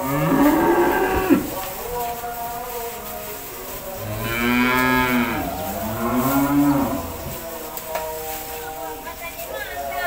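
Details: Cows at feeding time in a cowshed; a moo in the first second, then a long strong moo rising and falling around five seconds followed by another near seven, with steady mechanical-sounding hum behind.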